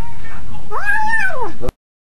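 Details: Domestic cat in a car, uttering one long, clear meow that rises, holds and falls over about a second, ending abruptly.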